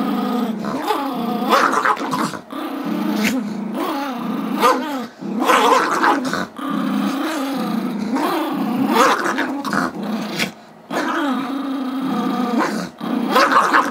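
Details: Two pet dogs wrestle over a squeaky toy: Gizmo, a 5-year-old Chihuahua/Yorkie mix who badly wants it, and Tigger, a 2-year-old Yorkie. Sustained harmonic growling with wavering pitch, punctuated by sharp rising yips every couple of seconds.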